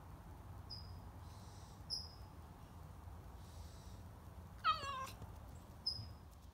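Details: A stray cat that wandered into a garage while it was being cleaned lets out a single loud, wavering meow with rich overtones. Faint high squeaky chirps come before and after it, over a low background hum.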